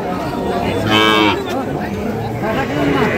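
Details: A short, rough moo from a fattened Sahiwal bull calf at Ambari cattle market, Dinajpur, Bangladesh, 11 July 2025, partly buried in loud talking and market bustle.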